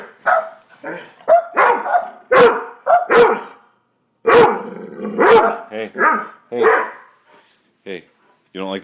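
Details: Doberman and Boston Terrier barking at a bird on their pond, short harsh barks in irregular bursts, mixed with a man's voice talking to the dogs.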